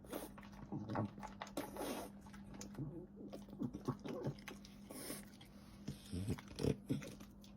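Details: French Bulldog at its meal, with irregular crunchy bites, lip smacks and wet slurps coming in clustered bursts, a few louder low thuds standing out, and a steady background hum.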